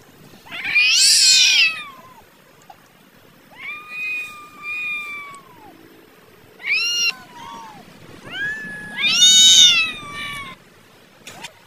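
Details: Angry cats fighting and arguing about food, very loud; a series of drawn-out yowls and whining meows, some harsh and rasping, others bending up then down, separated by brief pauses.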